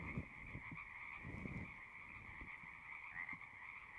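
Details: Frogs singing in a distant, steady chorus of high buzzy trills, with soft low thumps and rumbles scattered beneath.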